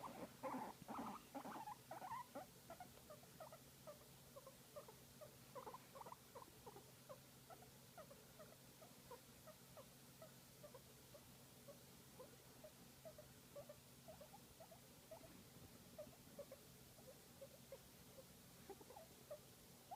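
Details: Guinea pig making cute sounds while enjoying a massage: a steady run of soft, short pulsed notes, about two per second, a little louder and busier at the start, over low steady hum.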